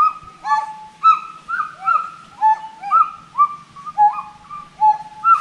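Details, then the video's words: Clear, whistled, arched calls from forest monkeys repeat about twice a second in an uneven rhythm, some notes sliding downward, over a faint low rumble in the background. "FOREST MONKEY VOICE"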